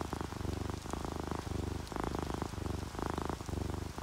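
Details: Relaxed sleeping house cats, an orange tabby and a calico, purring: a low throbbing rumble in alternating bursts roughly every half second, over a steady patter of rain and dripping raindrops.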